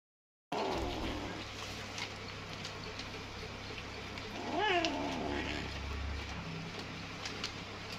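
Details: Hungry kitten eating greedily and fast, with a steady low hum throughout, scattered soft clicks and smacks, and one short rising-falling meow near the middle.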